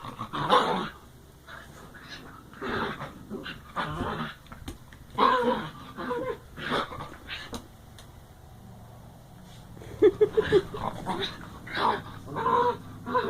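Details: Dogs in play uttering odd wookie-like noises, repeated throaty growl-moans, some rising into warbling whines, in irregular bursts across the recording.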